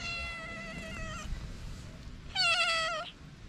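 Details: Hungry feral cats, a calico and a ginger, outdoors in the cold; two drawn-out, harmonic-rich meows, the first level and steady, the second louder and slightly wavering, over low rumbling background noise.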